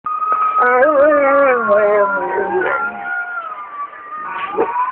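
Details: Barney, a pet Belgian Malinois, howls in response to a siren, filmed on a cell phone. Wavering, harmonic-rich howls slide and drop over the first three seconds above a steady, gently rising and falling siren tone.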